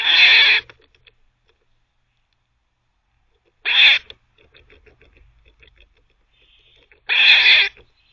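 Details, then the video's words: Squirrel giving harsh barks while teething, three rough noisy calls roughly every three seconds, low scratchy gnawing sounds audible in between. "Squirrel barking (while teething)"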